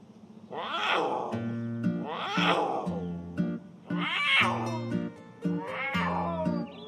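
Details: A captive female puma in heat, at a sanctuary near London, repeats loud, drawn-out wailing yowls about every two seconds, over soft music. It is a mating call to attract males, while a male sits right beside her.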